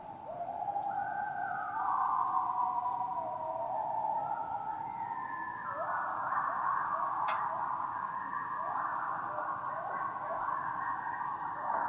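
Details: A group of coyotes singing together one night, captured on audio: overlapping wavering howls glide and bend between mid and higher pitches, some voices climbing while others drop, forming an unbroken twelve-second chorus over faint background hiss.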